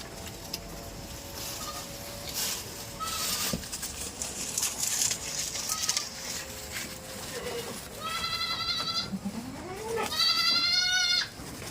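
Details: Tame farm goats kept on a goat farm; loud harmonic bleats near the end, one wavering cry followed by a longer quavering bleat, over a background of clatter, hoof noise and faint voices.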